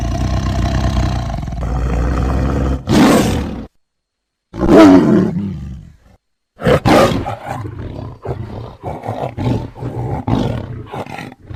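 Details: Tiger roaring in a series of separate harsh, breathy bursts with silent gaps between them. The first is a long, low rumble, followed by several loud coughing roars and then shorter rough grunts.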